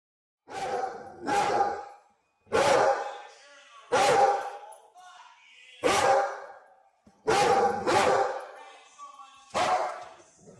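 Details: Big dog barking: loud, harsh single barks, seven in about ten seconds at uneven intervals, each with a quick rough attack and short echoing tail in a quiet setting.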